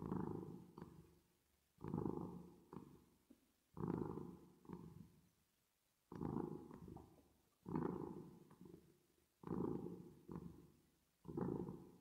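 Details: Domestic cat purring while resting and sleeping, with an added reverb effect: low, rough rumbling pulses in pairs, one on the in-breath and one on the out-breath, each pair about two seconds apart, fading between pulses.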